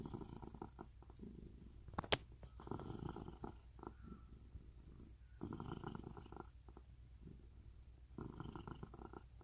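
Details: Rescued domestic cat living in a permanent home in Cooktown, Queensland, Australia, purring: a low, continuous pulsing rumble in bursts, with a sharp click near two seconds and soft handling rustles between.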